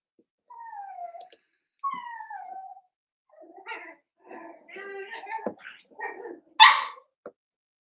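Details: Cavalier King Charles Spaniel puppies at play in a home puppy pen: two long descending whines, then a jumble of short squeaky yips and grumbles ending in one sharp yelp.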